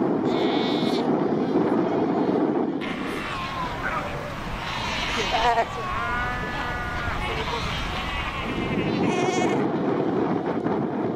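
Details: Cape fur seals in a huge colony of over 100,000 at Cape Cross on the Skeleton Coast, calling among ocean rocks. Wavering, bleat-like harmonic cries crowd the middle, framed by a steady roar of surf and wind.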